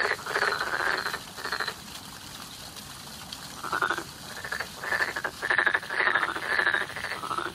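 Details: Frogs in spring give rapid, pulsed croaking calls in bursts, several voices overlapping.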